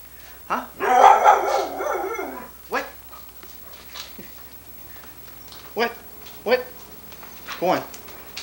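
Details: Female Irish Setter Sunny, recorded on 1987 VHS, gives one loud, rough, wavering moan lasting over a second, followed by a man's voice talking to her in scattered short phrases.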